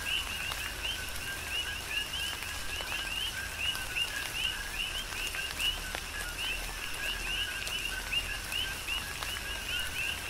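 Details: Coqui frogs calling together in a tropical rain shower on the Big Island of Hawaii. Rhythmic overlapping chirps, each a short low note and a brighter rising note, run throughout beneath constant rain hiss and dripping.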